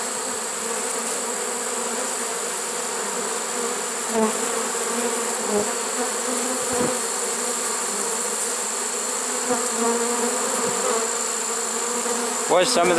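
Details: Honey bee swarm caught in a swarm trap late in the season, on 1 September 2019: a dense, steady hum with low droning bands that holds throughout, plus occasional faint clicks and a brief rustle near the end.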